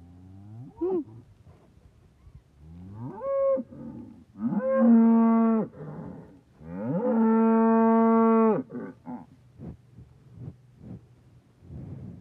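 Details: Red Angus calf with milk on its whiskers gives a few short rising bleats, then two long, loud, steady harmonic moos of about a second and two seconds, with quieter snuffling afterward.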